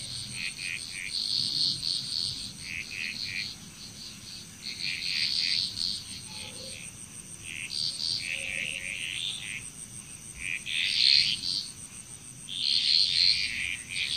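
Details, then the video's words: Frogs calling together in Bali, Indonesia, their clustered bright croaking bursts rising and fading in waves against an unbroken high-pitched insect drone. "Frog Chrous Relaxing Nature Sounds of Bali, Indonesia"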